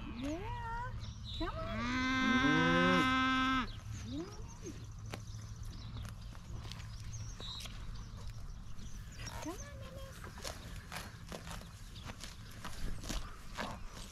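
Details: Excited Highland cattle herd being fed fresh grass, with a playful new calf among them: a loud, rich, mooing bellow of about two seconds, framed by fainter short lows from other animals, with trampling and rustling throughout.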